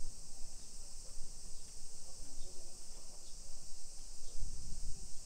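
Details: Cicadas keep up an unbroken high summer whine in suburban Nisshin, about 20 km from downtown Nagoya, Japan, at 1 PM on 28 July 2021. Soft murmur, possibly distant voices, and low thumps sit beneath the continuous drone.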